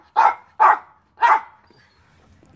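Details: Kobe, a Doberman Pinscher excited to play with his brother Keisy, a miniature Spitz, gives three loud, sharp barks about half a second apart, followed by near silence.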